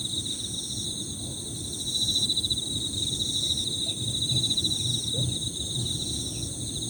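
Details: Several Emma field crickets overlap in steady, high-pitched, pulsing 'piririri' trills that layer into continuous shrill bands, while a soft low rumble runs beneath throughout.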